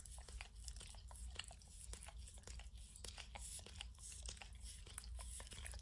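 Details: Max, a dog, licks peanut butter and kibble stuck in an orange mat indoors, no talking: rapid wet smacking clicks and small crunches over a steady low rumbling hum.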